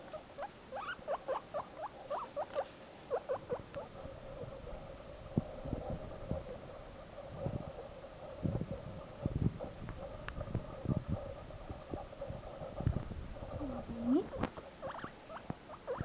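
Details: Male pet guinea pig calling out while apart from his buddy: a regular series of short squeaks early on, then quieter rustling and thumps, with a few rising squeaks returning near the end.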